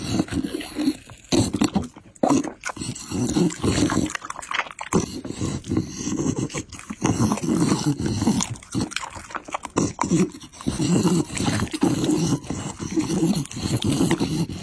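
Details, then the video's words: Pit Bull eating raw meat and chicken up close, steady low smacking chews and crunches, irregular bursts with occasional short pauses between mouthfuls. "ASMR MUKBANG PITBULL Ăn thịt gà và thịt sống"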